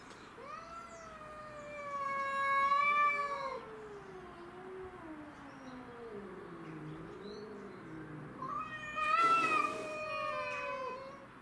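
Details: Domestic shorthair cats, named Tom and Mimi, squaring off with a grey and white neighbourhood stray in a territorial fight; long wavering yowls gliding down and up in pitch, overlapping caterwauls, with a brief scuffle burst near the end.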